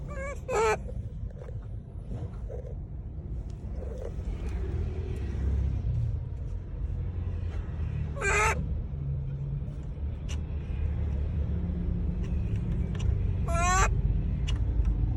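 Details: Monkeys calling people: three brief harmonic cries spread several seconds apart, between scattered clicks and a heavy low rumble throughout.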